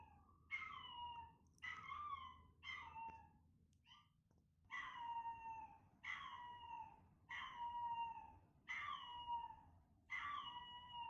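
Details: Chester, a timid male Chihuahua puppy born 13 November 2019, in a test where he hears his own recorded cries. About eight drawn-out, falling whine-howls come in uneven bursts, each with bright stacked overtones, over quiet indoor background.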